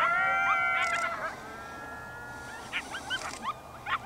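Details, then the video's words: Coyotes in Yellowstone National Park howl together in long wavering tones, then break into short, high yips. "Yellowstone Coyotes Howling"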